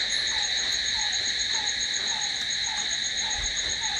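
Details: Crickets at night produce a dense, even, high-pitched ringing trill, while a faint lower chirp falls in pitch and repeats at a steady quick pace.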